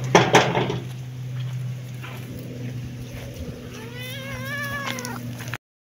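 A kitten gives one high, drawn-out meow, rising then falling over about a second, after some clattering and a low steady hum.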